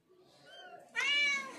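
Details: Mother cat relocating her kittens from a shelter: a faint soft mew, then a louder harmonic-rich meow that slides gently downward, indoors.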